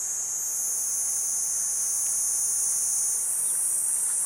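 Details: Platypleura kuroiwae cicada singing: a steady, unbroken high-pitched hissing buzz held at one even level throughout, with no pauses and no other clear sounds.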